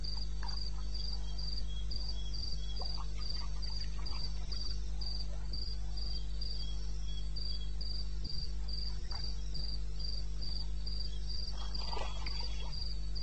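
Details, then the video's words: Steady, high cricket pulsing, about four beats per second, at 2:30 AM on 21 May 2016 in the eastern Botswana wilderness, with a constant low hum, soft scattered calls, and a brief louder burst of other night sounds near the end. "1 Hour cricket sound"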